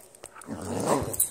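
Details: Nala, a pet husky playing indoors at home, lets out a short rising growl-howl that swells and then fades, with faint rustling before it.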